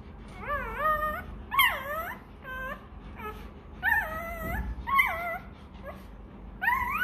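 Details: Hungry Rottweiler puppy crying for milk, a string of high, wavering whimpers and yelps that rise and fall, about eight separate cries in seven seconds with short pauses between, indoors with a low background hum.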